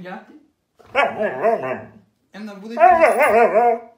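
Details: Siberian Husky, described as crazy and hyperactive, indoors; two drawn-out wavering, yodel-like howling calls of about a second each with rising and falling pitch, separated by a short silence, after a brief faint opening sound.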